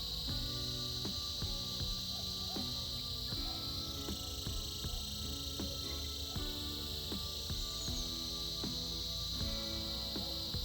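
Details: Winter chorus of cicadas, their continuous shrill buzzing holding level throughout, its tone shifting slightly partway, while soft plucked instrumental music plays along underneath.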